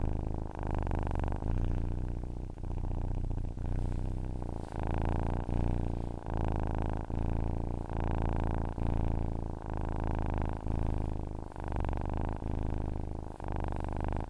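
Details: Domestic cat purring, recorded as a sleep aid: a steady low rumble broken into breath-linked phases, each lasting roughly a second, cycling evenly with brief gaps between inhale and exhale.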